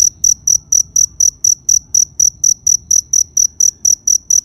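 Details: Cricket calling with bright, piercing chirps repeated about four times per second in a regular rhythm, backed by soft low-frequency noise.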